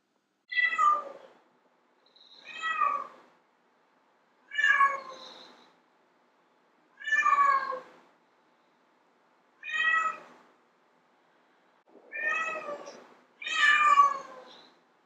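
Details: Seven loud, evenly spaced meows from a female domestic cat calling to lure males, each harmonic cry about a second long with a falling contour, the final pair close together and strongest.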